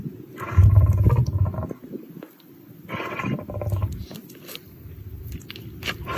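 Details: Lion sneezing: two heavy, deep bursts about two and a half seconds apart, each a rough low rumble lasting roughly a second with a brief breathy rush above it, then quieter low rumbling and scattered soft clicks.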